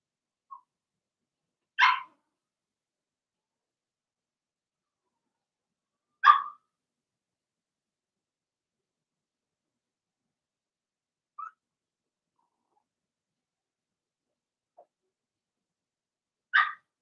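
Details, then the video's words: Blenheim Cavalier King Charles Spaniel puppies in their puppy pen bark in isolated short, high yaps spaced several seconds apart, with a few fainter softer yips between them. "Cavalier Puppies Bark, Howl, and POOP"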